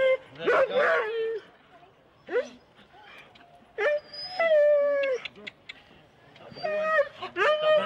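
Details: Huskies in four-dog sled teams at the start in Rendlesham, January 2016, recorded on analogue cassette tape: excited wavering howls and sharp yelps come in bursts, with pitched whines rising and falling and short quiet gaps between outbursts.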